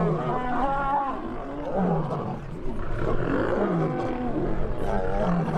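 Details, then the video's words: Lions fighting, with a lion called Vitya defending a young lioness: continuous harsh growls and snarling roars, rough and overlapping, rising and falling in loud bursts for the whole stretch, a faint voice talking in Russian underneath. "Fight with the roar of the lion"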